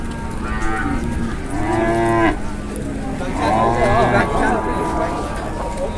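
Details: Jumbo cattle at Muntilan market in Indonesia, about to be weighed; two long, low, harmonic-rich moos, the first fading out near two seconds, the second swelling around four seconds, over a steady background murmur.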